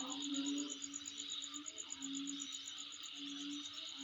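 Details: Insect sound recorded at home: a continuous shrill buzzing band and a rapid high ticking trill, with drawn-out low humming tones in the background.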